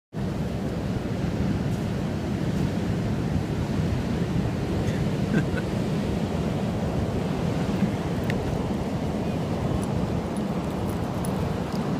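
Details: Loud surf and wind buffeting the microphone on a beach, with faint voices and no barks or seal calls.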